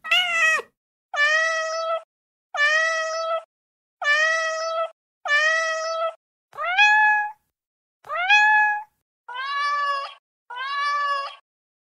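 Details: Repeated kitten meows, mostly steady, flat and nasal, with two calls that slide sharply upward, about one every second and a half.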